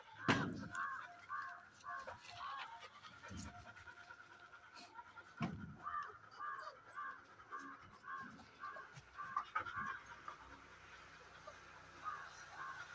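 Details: Labrador retriever puppies panting, with short breathy bursts repeated about twice a second in uneven runs, some louder thumps and handling noises mixed in.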